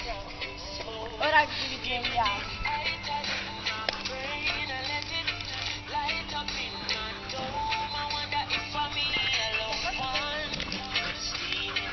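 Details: Loud pop music with processed, synthetic-sounding vocals and a steady beat fills the whole stretch, with no animal sounds.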